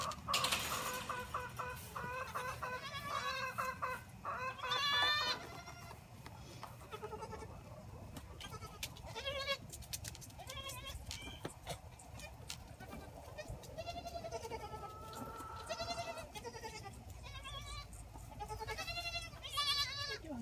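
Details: Orphaned Boer goat kids, several together, bleating while being bottle-fed at a six-bottle wooden feeder, recorded on an iPhone set on a gate; repeated wavering, harmonic bleats in bursts, with sucking and handling noises and a woman's voice at times.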